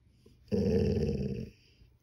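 A Golden Retriever gives a low, rumbling one-second growl to ask for attention.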